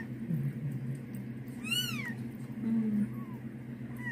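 A young domestic cat utters one short, high-pitched meow, arching up in pitch and sliding back down. A steady low hum runs underneath, with a faint second squeak near the end.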